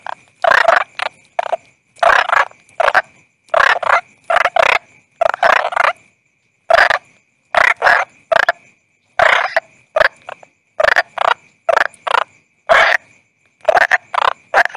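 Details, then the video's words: Toad, locally called bangkong, giving short harsh croaks in clusters of two or three, roughly twenty bursts over fifteen seconds, separated by dead silence, with a faint steady high tone running underneath. "Toad Calling Sound"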